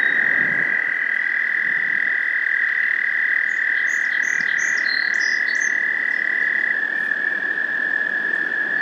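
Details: American toads on 30 April 2021 in Maynard, Massachusetts, wrestling while water snakes hunt them, give a long, steady, high musical trill that runs unbroken and shifts slightly lower near the end, with a few high chirping bird notes midway.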